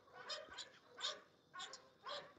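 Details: Repeated English Bulldog barks from a kennel dog: four harsh, noisy bursts at an uneven pace, moderately distant, with a man's voice greeting the dog between them.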